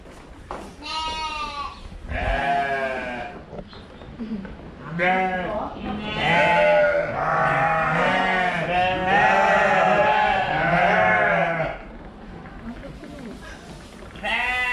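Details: Fluffy woolly sheep giving long, quavering, harmonic bleats, several overlapping and running together in a loud chorus before a pause, with a voice heard underneath.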